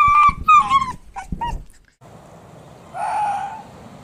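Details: Arctic fox giving shrill, harmonic yelps and whining cries in quick bursts, some wavering and falling, followed by a stretch of rushing noise and one muffled, longer whine near the end.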